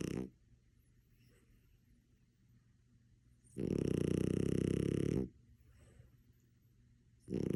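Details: Sleeping French Bulldog snoring indoors: quiet breathing broken by one long, loud, rasping snore of about a second and a half, with another harsh snore starting at the very end.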